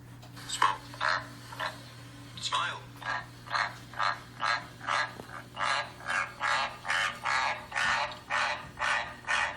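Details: A captive White's tree frog, livelier on a humid day, croaks in a steady series of rasping notes, slightly more than two per second, in response to frog calls played from a phone.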